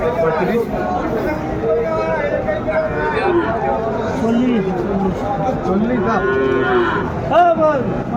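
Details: At a Mymensingh cattle market in Bangladesh on 14 January 2025, where small bull and heifer calves are traded, several bending, wavering moos sound over a steady murmur of bargaining people, with a sharper call close to the end.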